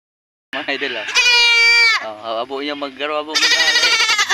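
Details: A pregnant goat bleats twice, loud and quavering with rich harmonics; the second bleat pulses rapidly. Short bursts of people talking come before and between the bleats.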